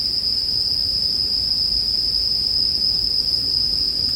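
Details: Bell crickets singing as one constant high-pitched ring alongside a bonfire, steady in loudness with no breaks, a soft low rustle of flames below the insect tone.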